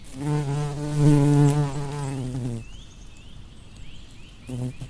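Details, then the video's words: Bumblebee buzzing among flowers: a loud, deep drone for over two seconds that cuts off abruptly, followed by faint rising bird chirps and a short final burst of buzzing. "Bumblebee Buzz"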